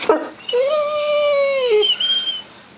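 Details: Pet mastiff, asked to speak when hungry, answers with one long high-pitched whine lasting over a second. It holds steady, then drops at the end and is followed by a brief higher squeak. A person's voice sounds just before.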